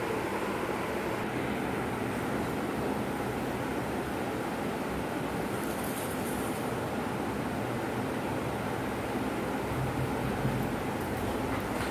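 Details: Steady broadband rumble like passing vehicles or a train, with no animal voice audible.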